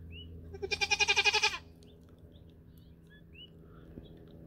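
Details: Nigerian Dwarf dairy goat on New Year's Eve 2020, in the first minutes near a buck for the first time for breeding, gives one loud, high, wavering bleat of about nine quick pulses lasting one second, then quiet with a low hum.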